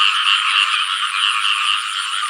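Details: Morning chorus of frogs and banded bullfrogs at a rural house in the rainy season, a steady, dense wall of pulsing croaks with slight rhythmic swells.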